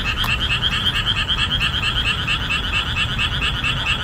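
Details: Boreal digging frogs calling loudly together in summer marshland just after the rainy season ends. Dense chorus of rapid, rhythmic croaking pulses, roughly two each second, with overlapping voices and a steady low rumble underneath.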